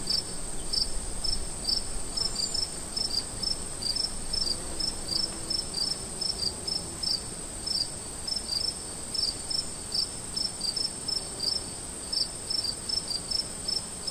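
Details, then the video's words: Camping in the woods after dark, crickets chirp continuously: bright, short, high pulses repeated several times a second by overlapping callers, against a constant shrill background hum. "Relaxing sounds of Crickets In the woods while camping"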